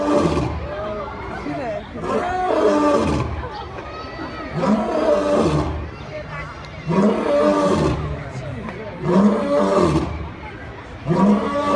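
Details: A lion (Panthera leo) gives deep, rasping roars, each a loud burst repeated about every two seconds.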